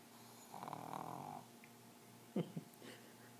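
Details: Sleeping Pug named Bosley gives one drawn-out rumbling snore lasting nearly a second, followed by two short, sharp snorts, in a quiet room.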